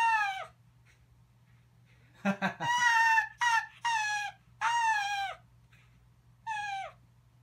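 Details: Four-year-old Arctic fox Archer, kept since young, giggles back after a man laughs: scattered tonal, downward-sliding yips, a short laugh in the middle, then several longer harmonic calls with pauses, in a quiet room.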